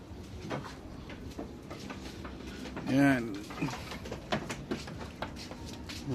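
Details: Pregnant goats on a backyard farm being let out because the sun is already warm. A single wavering, harmonic bleat sounds about halfway through, over quiet background chatter, faint bird chirps and handling noises.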